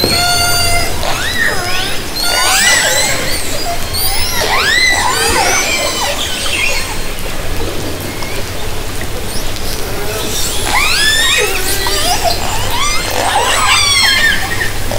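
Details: Several orcas in Haro Strait, summer 2010, heard through a hydrophone lowered from a kayak: repeated rising-and-falling squealing calls in bursts, some arching sharply, over low steady background noise.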